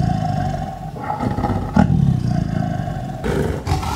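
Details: Sumatran tiger at roughly two meters, recorded on simple equipment, giving a deep throaty roar: low grinding rumble swelling to a louder burst near the middle, then rough pulses, with a constant faint hum behind.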